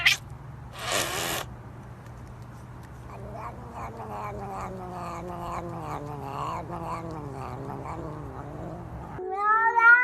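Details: Domestic cat giving a long, wavering, drawn-out yowl that rises and falls for about six seconds over a steady low hum. A short, higher-pitched cry ends the recording.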